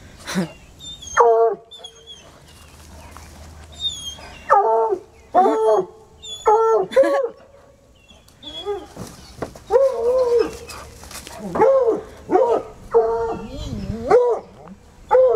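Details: Pair of untrained coonhounds baying at a raccoon hiding under a car: a rapid series of short arched howls and yelps, repeated roughly every second, with some whimpering between bursts and faint bird chirps behind.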